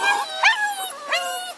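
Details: Six-week-old bulldog pups from a Felony x Noah litter make brief high whining yelps, two rising-falling cries within under two seconds.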